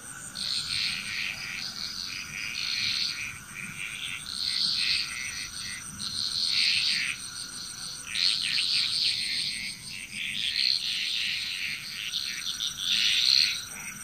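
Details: Chorus of frogs in Bali, Indonesia, with many animals croaking in rolling waves of overlapping calls, bursts recurring every couple of seconds across the recording, over a constant high ringing background tone.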